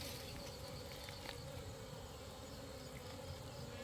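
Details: At night, honey bees swarm around people gathering honey in darkness, a continuous thick buzz droning without pause, broken by a few brief clicks near the start.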